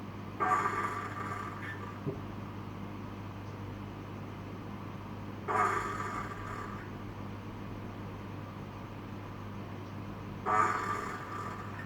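Harsh, rasping coughing growls from an Australian possum come in bursts about a second long. Each bout is separated by roughly five seconds of quiet, with a low hum in the background.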